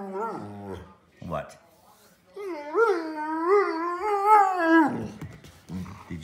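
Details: Older Pudelpointer named Nico, frustrated and wanting to go outside, makes a sustained wavering whine-howl with repeated pitch wobbles over about two and a half seconds, after shorter moans; a woman's voice answers him at the end.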